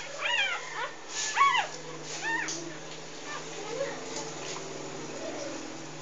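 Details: Three-day-old English Bulldog puppies from a first litter of six, three females and three males, nursing from their mother; high, arching whining squeals come in quick bursts over the first two and a half seconds, then fade to softer, fainter cries.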